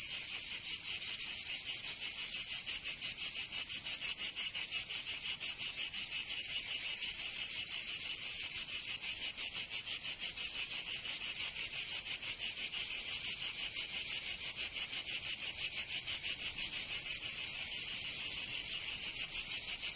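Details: Provence cicadas in summer, southern France, keeping up an unbroken, intense high-pitched drone for twenty seconds, rapidly and steadily pulsing at close to three beats per second.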